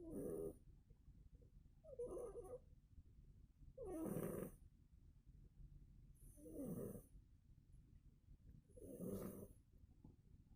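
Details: Murka, a sleeping domestic cat, snores steadily, with five breathy, rasping snores spaced about two seconds apart, each with a hissing edge, in a quiet indoor setting.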